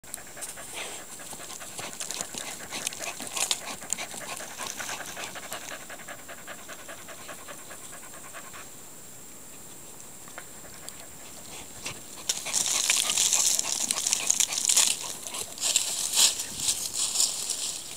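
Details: Maeve, a Standard Schnauzer puppy, panting: rapid, breathy, hissing pants at roughly two and a half per second, soft at first and growing louder and harsher during the last six seconds.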